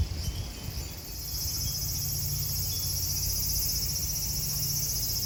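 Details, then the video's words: Cicadas at Kozoji Temple, also called Takakura Kannon, in Yana, Kisarazu, Chiba, Japan, make a steady high, shrill hiss that runs unbroken through the clip over a low background rumble. "JAPAN TEMPLE & CICADAS SOUND"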